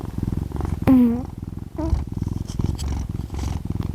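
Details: Sleeping domestic cat called Kkami, the second cat of the home, snoring: low, regular rumbling pulses in quick succession throughout, briefly interrupted near the start by a short voiced wavering sound.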